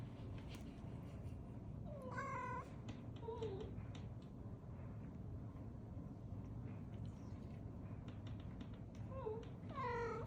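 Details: A yawning Maine Coon cat gives a few short, wavering meows over a steady low hum.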